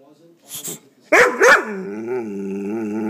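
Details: A pet dog that hates an air pump reacts to it. It gives two sharp, harsh barks in quick succession, then a sustained, wavering growling moan that holds steady. A faint human voice comes just before.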